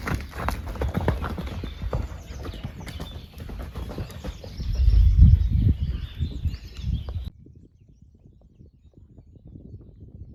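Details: Horses chewing hay, a steady crunching repeated several times a second, fed hay while waiting for the grass to improve.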